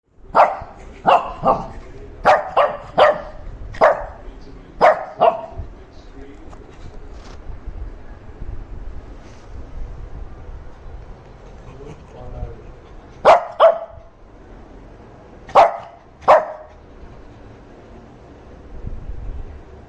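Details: Shih Tzu puppy barking angrily for attention while its owners are busy: a burst of about ten sharp, mid-pitched barks in the first five seconds, then a pause with faint voices, then four more barks near the end.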